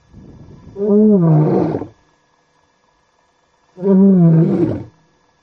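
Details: A male lion near the Talek gate in Kenya's Masai Mara, before sunset, lying beside a vehicle, then rising for his roaring routine, perhaps before a night hunt: two deep, rasping roars, each swelling for about a second, with a pause between.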